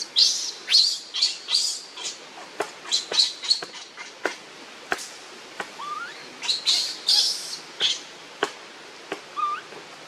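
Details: Hungry infant monkey crying to its mother for milk, with shrill high squeals in ragged clusters, sharp clicking knocks between them, and two brief upward-sliding wails.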